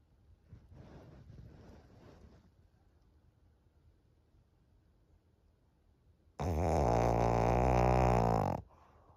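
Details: Thirteen-year-old female fawn pug Maria, a senior dog in Japan, recorded 25 June 2023. Soft, airy breaths give way to quiet, then a sudden loud, harmonic, vibrating snore holds steady for about two seconds before stopping sharply.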